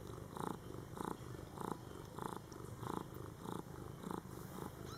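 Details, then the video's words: Indoor mother cat caring for her newborn Scottish Fold kittens during their first month of life; steady rhythmic purring, rough pulses repeating roughly every half second over a low continuous hum. "Mom Cat Talking to her Cute Meowing Kittens"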